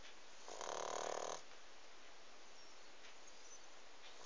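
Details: A pug sleeping indoors gives one harsh, rasping snore lasting about a second, followed by a steady low hiss of background noise.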